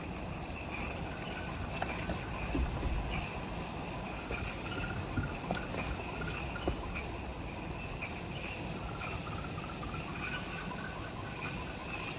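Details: Twilight insect chorus just after sunset in forest at the Mount Omoto trailhead, Ishigaki Island, Okinawa, Japan: layered shrill pulsing chirps in several pitch bands, evenly repeated, with a few faint clicks over a steady low background hum.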